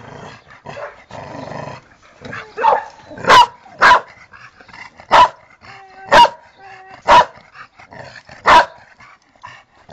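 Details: Pet dog named Tera giving a run of loud, sharp barks spaced about a second apart, with softer whining and a woman's Spanish voice between them.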